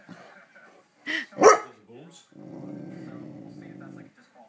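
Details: A pet dog responds to fireworks in the neighbourhood. Faint human speech comes first, then two loud barks, then a long, steady, low growl lasting nearly two seconds.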